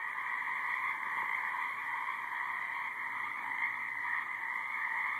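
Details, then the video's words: Dense chorus of many frogs in a high marsh, steady overlapping trills forming a continuous droning band with slight swells, a faint electrical-sounding buzz underneath. "High Marsh Frogs"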